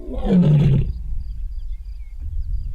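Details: At Londolozi Game Reserve after a stormy night, a lioness gives a deep, groaning roar, apparently calling to find missing members of her pride, possibly separated after a clash with other lions.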